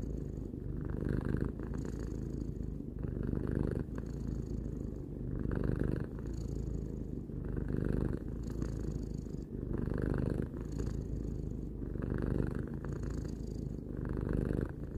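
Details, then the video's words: A three-year-old pet cat purring calmly at home, a deep vibrating rumble that rises and falls in breath cycles about every two seconds, soft and even throughout with no other sounds. "Cat purring"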